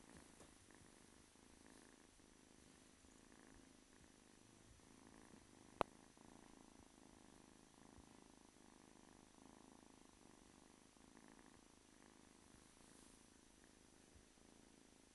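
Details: Simba, a domestic kitten about 8-9 weeks old, purring in a steady, low rumble that continues without a break, with a single sharp click near the middle.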